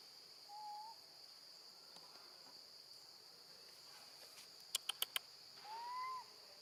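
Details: Baby female monkey calling for her mother when left alone with her grandmother: a short whistled cry, then a longer, louder arching wail near the end, with sharp clicks between and a steady high insect drone throughout.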